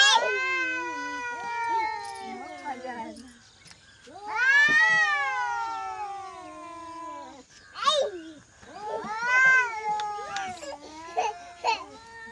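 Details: Angry cat in a village giving long, drawn-out wailing meows that waver and slide downward, several calls with short gaps, a rougher burst near the middle; faint low hum beneath.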